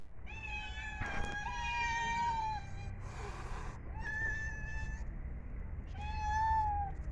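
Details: Cat meowing while eating food: four drawn-out, clear meows with rich harmonics, each about one to one and a half seconds long, the first broken by a short clatter, over a steady low background hum.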